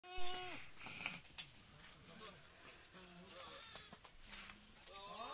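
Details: Farm goats in their daily routine. A wavering bleat falls away near the start, a rising nasal bleat comes at the end, and softer low calls sit in between, with human voices and farmyard noise around them.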